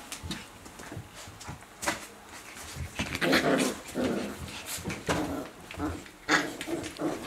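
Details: A litter of puppies having fun at play: repeated short growls, yips and whimpering squeals in quick bursts, mixed with scuffling and thumps of tussling bodies.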